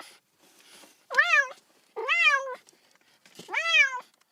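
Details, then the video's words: Baby cat calling for its absent mother, three clear plaintive meows in quick succession, each swelling upward and tailing off, with soft background rustle. "외롭고 슬픈 아기 고양이 울음소리, 엄마 어딨어~(Sad baby cat sound)"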